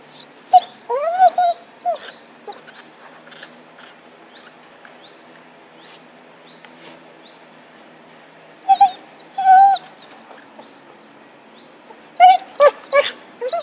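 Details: Stick-obsessed pet dog Happy, filmed in 2012, yelps in three separated bursts: a cluster of rising-falling whiny yips, a long near-silent pause, then two clear yips and a final flurry of high cries.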